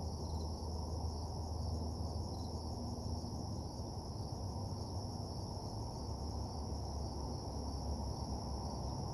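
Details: Crickets trilling at night around a lonely parking lot: a thin, constant high buzz with an upper overtone and occasional soft chirps, nearly buried under a thick, droning low-frequency background.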